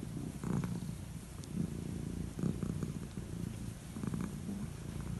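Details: Calico cat, old, purring while stroked on the head at bedtime; deep, even vibrating purr with gentle rhythmic surges roughly every second, light scratchy touches audible.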